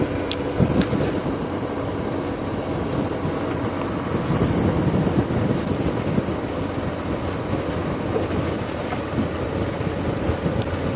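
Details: A vehicle engine rumbles with strong wind buffeting throughout a safari drive, and no animal sound can be heard.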